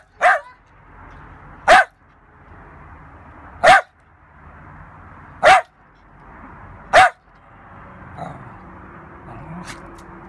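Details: A Lakeland Terrier at play gives five single, sharp barks spaced about one and a half to two seconds apart. Soft, low rustling and a faint grumble follow near the end.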